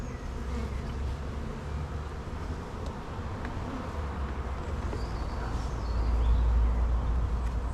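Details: Honey bees at an opened hive during one of the first inspections in an apiary, the colony full of young bees: a dense, steady low buzzing hum that swells slightly louder toward the end, with no voices over it.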